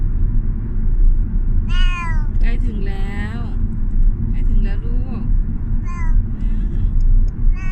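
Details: Thai Korat cat, 14 years old, arriving at the vet; a few arched meows and shorter bent cries mixed with a woman's speaking and a low engine-like rumble.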